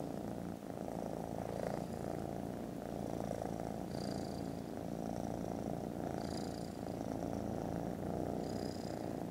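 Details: Contented foster kittens purring loudly while snoozing after lunch: a steady, dense, low rumbling purr runs unbroken throughout, with faint high thin squeaky tones surfacing now and then above it.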